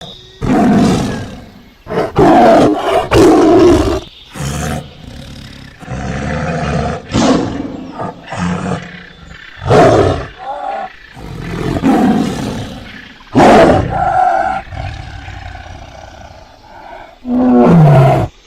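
A tiger gives a series of deep, rasping roars and growls in short, powerful bursts.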